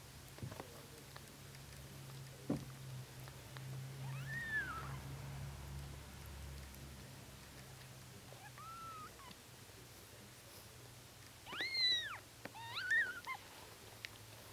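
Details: One-day-old Bengal kittens of the Kisangani line give thin, high, arching mews, a short cry near four seconds, a softer one around nine, then a quick cluster of rising and falling squeaks near twelve to thirteen seconds, over faint low hum.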